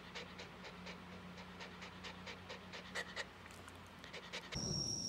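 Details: Female Mameshiba Komugi, who dislikes loud noises, pants anxiously during summer fireworks; rapid breathy panting runs steadily until an abrupt cut to a sharp noise burst and a high steady whine near the end.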